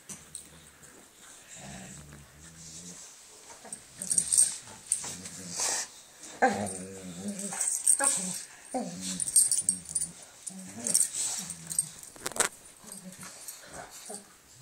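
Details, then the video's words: Mara and Hazel, two dogs playing on Christmas Eve 2011, give low harmonic growling bursts near 1.5–3, 6–7 and 9–11 seconds. A steady high jingling hiss runs throughout. "Mara & Hazel playing on Christmas Eve 2011"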